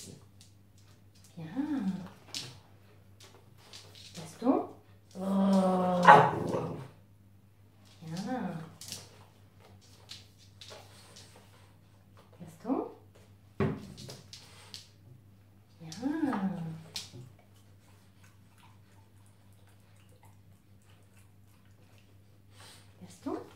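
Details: Gaston, a French Bulldog, indoors during "Do as I do" training: short, arching yelps and whines come in separate bursts a few seconds apart, with one longer drawn-out whine, while a person speaks French commands between them.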